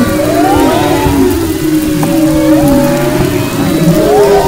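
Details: Humpback whale vocalizations off west Maui, recorded February 22-24, 2011: long wavering tonal moans with slow rising and falling glides, a sharp brief click near the middle, over steady low ocean noise.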